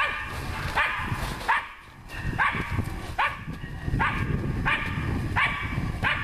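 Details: Nora, a dog at work on wild boar, barks in a quick series of about nine loud, ringing yelps across six seconds, with a brief pause near the second mark, over low background rumble.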